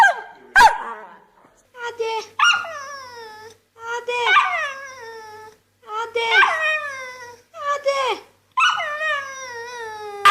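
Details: Pet dog throwing a fit and answering its owner, a series of drawn-out, falling whining howls in bursts every second or two, harmonics rising and sliding down, with a short human voice at the start.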